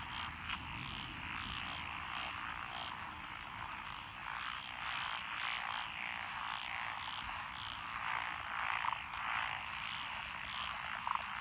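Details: Frogs calling from lotus rice paddies beside a rural road in Echizen, Fukui, Japan, on 12 June 2021, with several species present, including Japanese tree frogs and Schlegel's green tree frogs. A thick, continuous wall of croaks pulses unevenly, with a few sharp clicks near the end.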